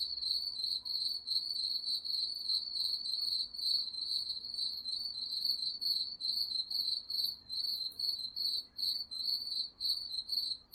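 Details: Crickets calling at night in the woods: a steady, high, shrill chirping trill that pulses in quick even beats, about two or three a second, with faint higher overtones and no other clear sounds.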